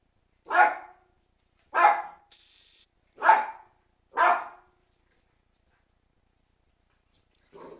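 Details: With a storm approaching, Cairn Terriers give four strong, harsh barks about one to one and a half seconds apart, then fall silent before a faint final bark.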